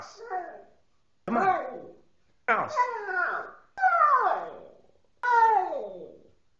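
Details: A male Siberian husky gives a string of drawn-out, falling, talking howls in protest when told to go into his house.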